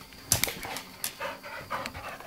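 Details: Shady, a pet dog, during his nightly mad minute of excited play: quick, breathy panting puffs and a few sharp scuffling bursts, with a television voice faintly in the background.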